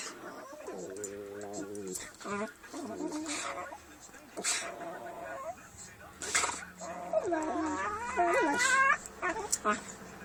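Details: Several dogs playing and making funny noises: wavering, whiny harmonic cries and short yips that bend up and down in pitch, often overlapping, with brief pauses and some human voices in the background.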